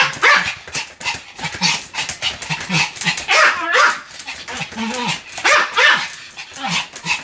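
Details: Sam, a pet Pomeranian, barking continuously: rapid, sharp yaps in quick succession, some with rising and falling tonal yelps, filling the whole stretch with barely a pause.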